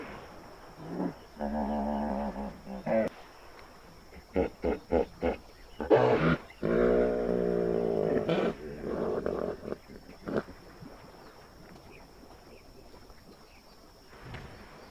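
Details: An agitated hippopotamus gives deep, nasal honking bellows and short grunting pulses, snarling and asserting dominance in displeasure at a nearby elephant, which keeps its distance.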